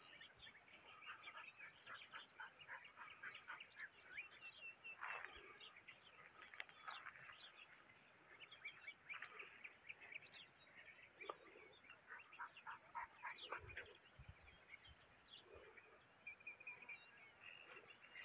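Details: Crickets singing outdoors: a constant high ringing trill runs unbroken throughout, while lower, bubbly bird chirps and short twittering notes come in frequent bursts over quiet background noise.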